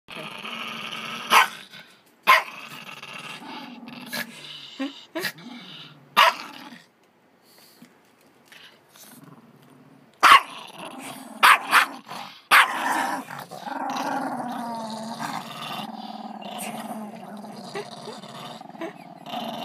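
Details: Female dog inside a laundry basket guarding her dog treat from her sister, giving low rumbling growls broken by sharp clattering knocks and short louder snarls, with a quiet gap near the middle and steady growling toward the end.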